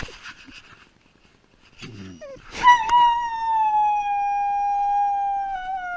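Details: Pet dog after its owner leaves: a few soft whimpers and a short yip, then a long sustained howl holding a steady pitch and slowly sliding down over three seconds.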